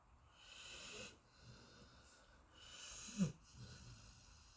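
A sleeping Golden Retriever snores with slow, wheezy breaths and a soft snort.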